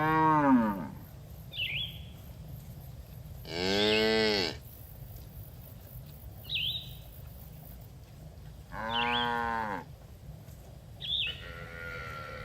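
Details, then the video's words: Farm cattle grazing together on green pasture, mooing repeatedly: about four rich harmonic moos spaced roughly four seconds apart, each around a second long, alternating with short high bird chirps over a low rumbling background. "Suara Sapi Moo"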